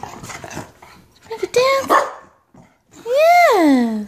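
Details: A 2-year-old male miniature schnauzer indoors doing tricks, including speak on command; a person talks first, then a short tonal note and a loud drawn-out yelping bark that slides downward in pitch.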